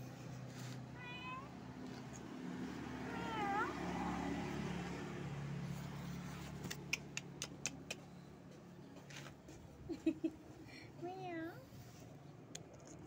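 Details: Pregnant stray cat sitting limp at the edge of a shop on the street, giving three drawn-out meows that rise then fall, spaced several seconds apart, over steady traffic rumble with sharp clicks and taps nearby.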